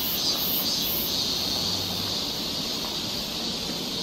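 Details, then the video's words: Korean summer forest near Seoul with cicadas droning, an even high-pitched sizzling hum held throughout, a brief low hum in the background. "cicada sound"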